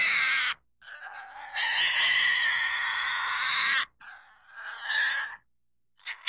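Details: Pig giving long harsh squeals, broadband and strained, one sustained for over two seconds, then shorter squealing bursts with brief silent gaps.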